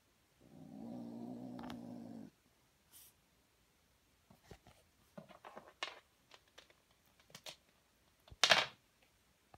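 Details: A British Blue kitten gives a low, rumbling growl lasting about two seconds while learning to growl as he catches a toy.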